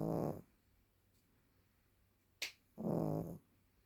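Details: Candy, a Maltese dog over ten years old, snoring while asleep indoors: two raspy, buzzing snores about half a second long, with a brief click between them in a quiet room.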